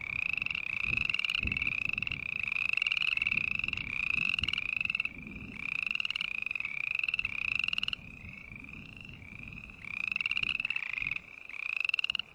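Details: Green tree frogs calling in a dense, overlapping run of buzzy, pulsed, slightly rising notes, repeated about twice per second, louder and softer stretches alternating, over low rumbling noise.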